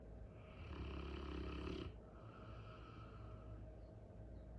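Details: Sleeping Cane Corso snoring: one long, low rumbling breath lasting over a second, with a steady drone underneath and quieter breathing afterwards.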